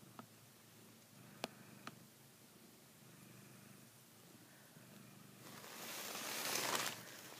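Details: While biting a blanket it handles like a female cat's neck, a Savannah cat gives a low, even purr; three sharp clicks early on, then a loud burst of fabric rustling toward the end.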